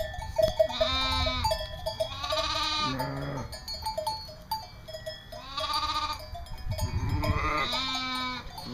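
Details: Bleating East Friesian dairy sheep on a North Carolina breeder's farm: repeated tremulous, nasal bleats in two bursts, some higher and some deeper, with music underneath.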